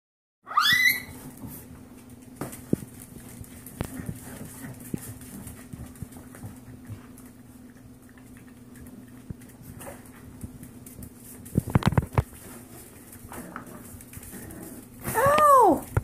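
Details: Seven-week-old Yorkshire Terrier foster puppies play-attacking a leg; high squeaky yips open and close the recording, with soft scuffling and patter between them.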